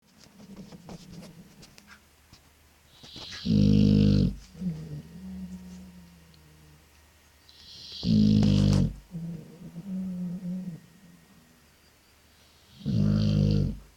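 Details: Pet dog asleep and snoring: loud, rasping, low rumbling snores every four to five seconds, with softer wheezy breathing sounds between them in a quiet room.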